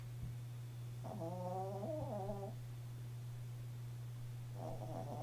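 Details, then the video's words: Chihuahua sleeping at home gives a long, reedy, whistling snore that bends downward, then begins a second breath, all over a continuous low background hum. "Snoring Chihuahua"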